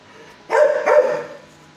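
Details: Kennelled shelter dog, six years old, barking at a visitor at first; one loud doubled bark, harsh and harmonic, trailing off over about a second against a faint steady hum.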